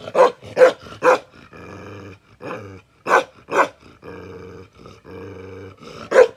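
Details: Bakarwal dog, an aggressive protection dog, giving loud deep barks in bursts of three spaced about half a second apart, between them a low sustained harmonic growl, with a final bark at the end.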